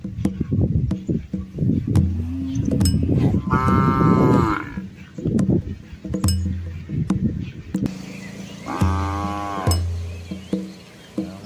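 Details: Red Asian village cows, a large herd with calves, crossing a small flowing river in rural Asia; two drawn-out harmonic moos sound several seconds apart, with splashing clicks and a steady low hum.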